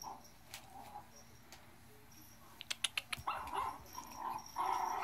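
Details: Yorkshire Terrier playing indoors, giving a quiet run of short, high whining yelps in the second half, after a few sharp taps and clicks; faint and close, with a low steady hum behind.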